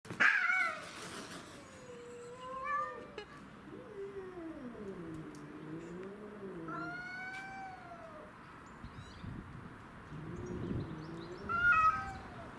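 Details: Domestic shorthair cats, two house cats and a grey-and-white neighbourhood stray, fighting over territory; drawn-out wavering yowls rise and fall in pitch, with sharp higher squalls at the start and near the end.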